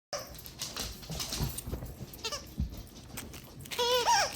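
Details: Siberian Husky awaiting adoption at a rescue, indoors, recorded 4/5/2022, coughing: a run of rough, breathy hacking bursts over about three seconds, ending in a short high-pitched whine.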